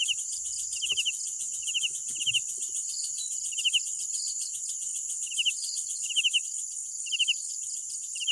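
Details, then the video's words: Nighttime cricket song of spaced, buzzy pulsed chirps roughly every half to one second, with softer distant chirps between and a steady high-pitched insect drone throughout; a couple of faint low thumps. "Sounds of Night Crickets"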